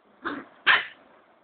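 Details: Cocker spaniel in Kolkata, India, giving two short, sharp barks about half a second apart, the second louder and higher, in a quiet setting.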